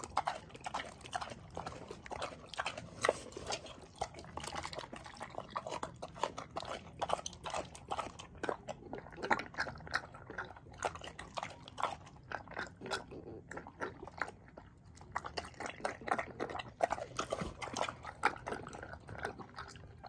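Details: Paulie, a rescue pig living at Arthur's Acres sanctuary in upstate New York, munches cucumbers with rapid, continuous wet chomping and smacking, brief lulls between flurries of loud slurps.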